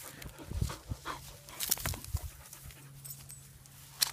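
A Basset Hound pants and snuffles in short, breathy bursts, with a faint whimper.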